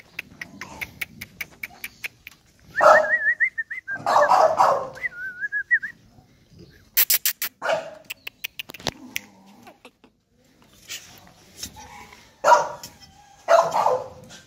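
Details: American Bully puppies bark in scattered, uneven bursts. A high wavering tone runs alongside the early barks, with quiet clicks and rustling between.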